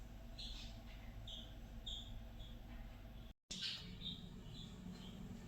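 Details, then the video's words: Fiddy, a pet guinea pig, happy during floor time and enjoying whistling, gives short high squeaky chirps in scattered bursts, a brief dropout midway, over a low steady background hum. "GuineaPig Makes Happy Noises During Floortime"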